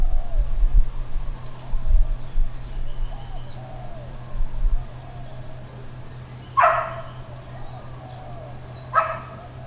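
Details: Intermittent, uncontrolled barking from neighbourhood dogs in Hawaiian Paradise Park, Hawaii, September 2, 2024: two single sharp barks about two and a half seconds apart, following low rumbling thumps, with soft bird calls and a constant high tone in the background.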